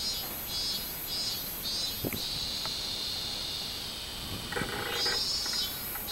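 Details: Robust cicada recorded on 24 July 2016: high pulsed buzzing bursts repeating about twice per second over a steady lower droning hum that swells mid-clip, with a few faint low knocks in the background.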